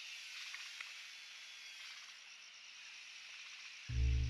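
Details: At Rocky Pool, Huai Khayeng Nature Park, in April 2024 at around 43°C, cicadas keep up a steady, high, hissing drone like distant machinery, not construction work; a sudden loud low burst cuts in at the end.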